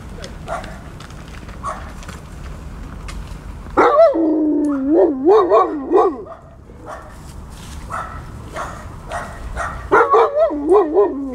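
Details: Huskies and Malamutes playing during morning exercise: a loud wavering howl-like vocalization with rising and falling pitch from about four to six seconds, another shorter wavering burst near ten seconds, with quieter yips and a woman speaking German between.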